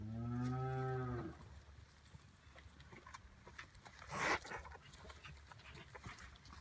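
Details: Hereford cattle, calves and their mothers, at Oak Creek Farm: a deep, harmonic moo opens the recording and lasts just over a second, followed by quiet rustling and one sharp burst of noise.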